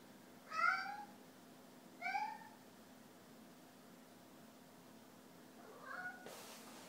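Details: Snow Bengal cat meowing in a kitchen: three short, slightly rising meows spaced over six seconds, the last fainter, over a steady low hum, with a brief soft noise burst at the end.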